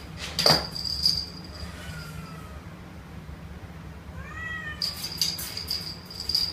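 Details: Young male Domestic Short Hair kitten, roughly two months old, in Kuala Lumpur for adoption: a faint thin meow, then a louder, brighter falling meow, amid a steady high whine and clattering knocks.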